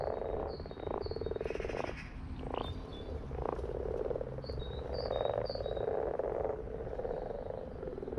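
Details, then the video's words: Group of frogs giving rapid rattling croaks in overlapping waves, with a sharp knocking sound and sets of short high chirping notes repeated at the start and middle. "In case you needed 2 minutes of Frogs in their happy place"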